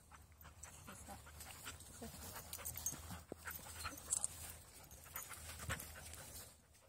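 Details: Fidji, a three-month-old Border Collie full of energy and new companion of Hyona, pants in quick breathy bursts, with soft voices talking nearby and a few small knocks.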